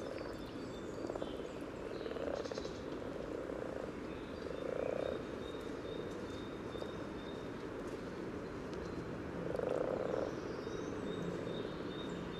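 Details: Common frogs calling at a spawning site by a yellow trail in Sunnersta, Uppsala, taped with a parabolic microphone just above the water. A steady low purring, grunting chorus runs throughout, swelling louder near five and ten seconds. Faint high bird notes sound above.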